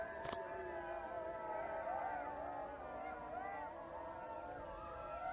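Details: Jackals howling together: several wavering, overlapping high wails that rise and dip continuously, with one sharp click near the start and a low steady background rumble.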